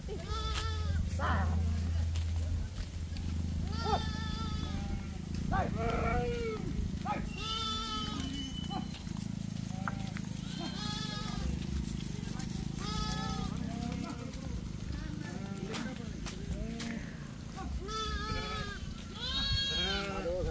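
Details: Lamb bleating while a child plays with it: many wavering, quavering bleats in quick overlapping succession over steady low rumble, with a child's voice mixed in throughout.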